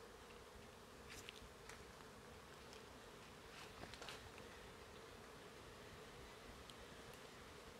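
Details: Bees, likely from nests high in the trees, give a faint, steady, distant hum at the Oxtankah Maya site in forest near Chetumal, Quintana Roo, Mexico, in 2023; occasional light clicks and rustles.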